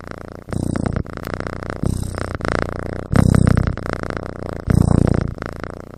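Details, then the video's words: Asleep, a kitten snores like a person: deep, buzzy rumbles on each breath, four strong swells in six seconds, fading to a softer rattle between them. "Snoring Kitten"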